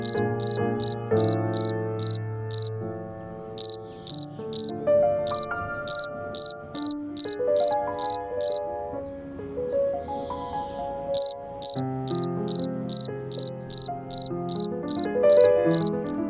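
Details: A yard cricket, described as a male, sings with a Valentine's piano composition. Rapid, sharp chirps arrive in runs of several, with a gap midway, while a flowing piano melody and chords play beneath.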